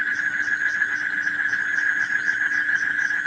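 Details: Frogs calling, offered as night sounds to help children fall asleep; a steady, dense mid-pitched droning chorus with faint rapid pulsing higher up and a constant low hum underneath.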